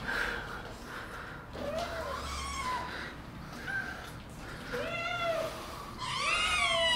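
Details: Kittens indoors, described as attacking, give repeated high mewing meows with rising-falling harmonic arcs, several overlapping toward the end, over a low steady room hum.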